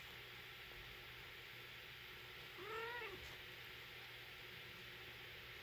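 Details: Silver shaded chinchilla British Shorthair mother cat with kitten gives a single short meow, arching up and then dropping, mid-clip against a quiet background with a constant low electrical hum.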